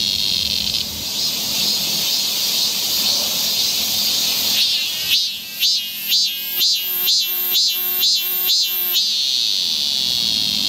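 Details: Cicadas singing along a summer forest trail in Seoul, Korea: a steady high shrill drone, then from about five seconds a louder pulsed song throbbing roughly twice a second for four seconds before the even chorus returns.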